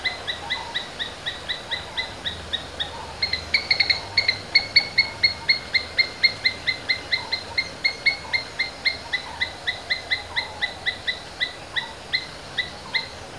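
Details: Asian palm squirrels, described as domestic, calling: sharp, high chirps repeated about four times per second in a steady run, each clipped and bright with a ringing overtone, slightly louder in the middle stretch; faint background hiss.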